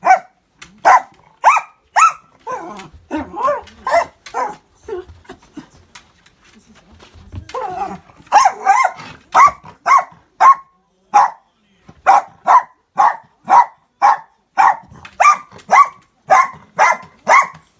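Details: Miniature Dachshund indoors, barking at an unfamiliar orange juice cup it seems curious about; bursts of sharp, quick barks, a quieter muffled stretch with rustling, then a long steady series of rapid barks roughly twice a second.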